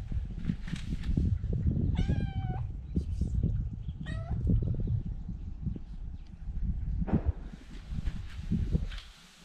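A kitten gives two high, thin meows about two seconds apart over low rumbling movement noise.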